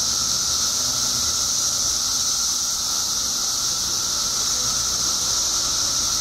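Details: Periodical cicadas in Illinois, part of a mass emergence of billions after 17 years underground, fill the air with a constant shrill wall of buzzing and a steady lower hum that never pauses.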